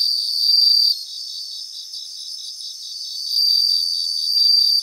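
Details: Bell crickets singing in a grassland in Japan: high, ringing tones with pulsed, tinkling trills that swell and fade. Several insects overlap, and no other sounds are heard.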